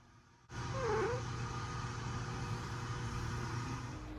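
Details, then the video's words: A male pet cat calls out as he is touched: one short, wavering mew just under a second in, dipping then rising, over a steady low hum and background noise that continue to the end. "My cat making a sound everytime I touch him"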